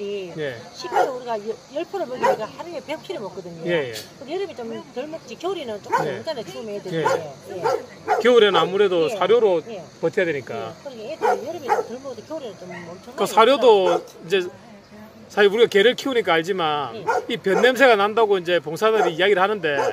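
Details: Dogs at Hanna's rescue shelter for abandoned dogs in Daegu, South Korea: a crowded din of barks and sliding, whining yelps from many animals at once, with brief lulls and people speaking among them.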